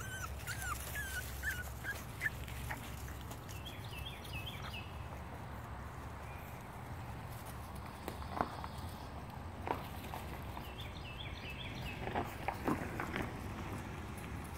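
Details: Boston Terrier puppies at play give scattered short whimpers and yips, clustered mostly in the second half, over a steady low hum with small birds chirping in the background.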